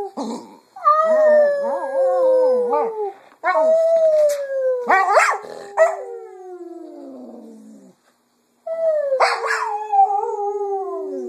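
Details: Pet female Cocker Spaniel singing at home in the afternoon, mimicking her owners' voices: long wavering howls that slide downward, some with quavering vibrato, in three drawn-out phrases separated by short breaks, with brief yips and gulps between.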